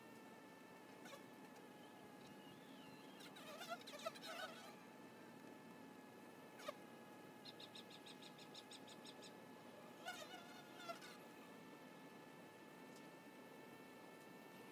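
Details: Buzzing of honey bees at a hive entrance: a constant droning hum with overtones, broken by bursts of louder wavering whines from bees flying by, and a short rapid pulsed chirping series midway.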